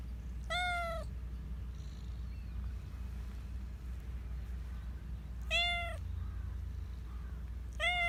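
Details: Black Persian cat, one of the park cats, described as very vocal: long harmonic-rich meows, each about half a second, repeated roughly every five seconds, three in all, over a steady low hum.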